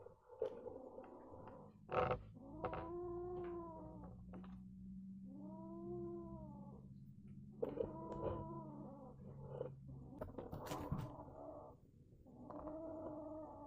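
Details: A mad kitten gives strange whining yowls, bowed harmonic wails of one to two seconds that come in a series, over a continuous low droning growl, with brief clicks and thumps between calls.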